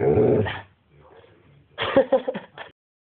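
A Basset Hound gives a brief, full-throated howl, then a string of short yipping notes.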